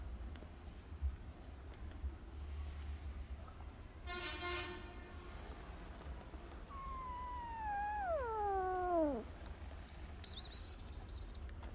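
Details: Poor hungry kitten, afraid of the person offering food, lets out a drawn-out, wailing meow that wavers and then drops sharply at the end, after a brief rasping burst and some faint rustling.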